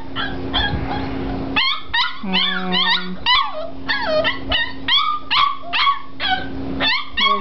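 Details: A litter of five-week-old Springer Spaniel puppies, one trying to climb out, producing a busy stream of high, squeaky yips and whimpers, roughly two per second, with a steady low hum under part of it and background music.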